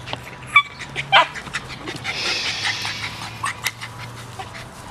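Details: Alfie, a Miniature Pinscher, chews a stick in the grass on a sunny day, giving two brief, high, thin squeaky whimpers early on amid crunching and rustling chewing noises.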